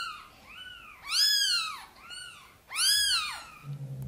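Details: Sonny the mother cat asks for help bringing her tiny kittens into the nest. Soft and loud meows alternate, four arched calls in all, the two strong ones bright and rich in overtones.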